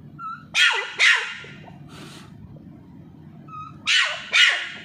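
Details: Little Pomeranian puppy Charlie, teased while playing with a ball, lets out two pairs of piercing, high barks a few seconds apart, each pair preceded by a short squeaky tone.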